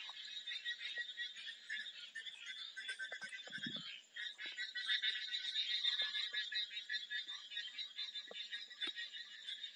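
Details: Numerous frogs call in a continuous high, crackling chorus of fast repeated croaks. A brief lower rumble and a dip in the calling come partway through before the chorus rises again.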